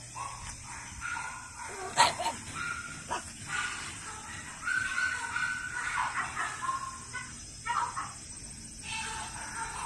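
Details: French Bulldogs born 21 and 23 June 2017 giving faint squeaky whines and short yelps, overlapping in a loose stream, with a sharp knock near the start and steady hiss throughout.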